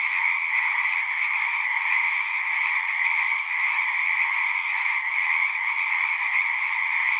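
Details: Natural sound of a frog chorus: countless callers merge into a constant high, buzzing trill layered over a softer lower band, level and unchanging apart from a brief dip around the middle.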